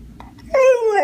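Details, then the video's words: Dog answering its owner's questions about coyotes with a short, drawn-out tonal whine that starts after half a second and slides slightly downward, with a faint yelp-like onset before it and quiet room noise. "Smart Talking Funny Dog Videos"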